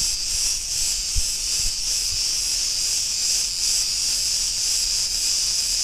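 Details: Cretan cicadas on an Ierapetra street in Crete, Greece, producing a constant piercing buzz that throbs in quick regular swells, with two or three faint low thuds early on.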